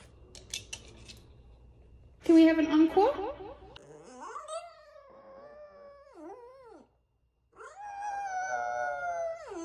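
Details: A female French Bulldog "sings" into her new microphone for the first time: a short burst of yelping harmonic barks, then a drawn-out howl sliding up into sustained wavering notes that dip, recover and fade.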